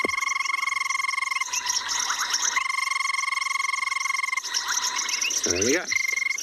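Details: Banded rubber frog calling at night at Tswalu Kalahari Reserve, South Africa, one of five frog species heard at this spot; a steady, high, trilling ring runs in long stretches, with other frogs chirping and a man's voice breaking in briefly.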